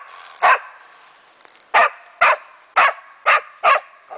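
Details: German wachtelhund Meya having fun with a raccoon dog, giving single loud barks, then a quicker series of five spaced about half a second apart.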